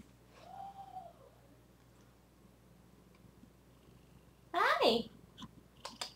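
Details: Zephy, a female pet cat at home, gives one soft arched meow that rises and falls over about half a second. A loud broadband burst follows a few seconds later, then sharp clicks.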